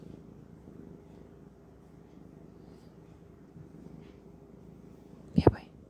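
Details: Domestic cat purring: a steady, low rumbling texture runs through the clip, with a faint voice in places and a sharp, loud knock near the end.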